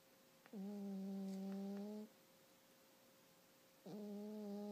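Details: Domestic cat snoring loudly while deeply asleep indoors, not waking even when a blanket is lifted from her face; two long, steady, droning snores with a low hum and stacked overtones, separated by a quiet pause.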